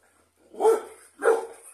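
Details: Rottweiler from a champion guard bloodline, kept in a kennel and used for breeding: two loud, deep, harsh barks about 0.6 seconds apart, each a full-bodied burst trailing off quickly, with no other sounds.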